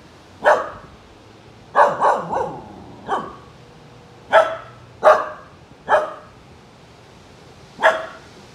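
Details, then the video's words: Siberian Husky puppy barking at a rubber duck: eight sharp, yappy barks spread over about seven seconds, some in quick pairs and others spaced a second or more apart, with quiet gaps between them. "Husky Puppy Barking at Rubber Ducky"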